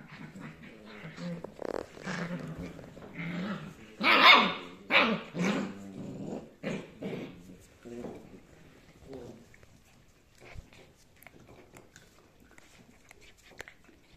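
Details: Rough Collie puppies, 7.5 weeks old, indoors: a run of short growling barks and yips clustered in the first eight seconds, loudest around the fourth second, then fading to sparse faint sounds, with a human voice in the background.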